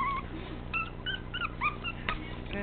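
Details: Teacup Chihuahua puppy weighing 13 ounces, a lively male, giving a series of short, thin, high whimpers that waver up and down, spaced unevenly over a faint background hum indoors.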